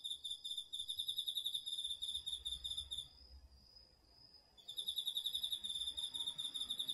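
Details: Cricket among autumn insects at night in a home garden field, recorded in autumn on a DR-40X recorder: rapid high pulsed chirp trains pause briefly while a steady high-pitched drone from another insect carries on, then the pulsing resumes.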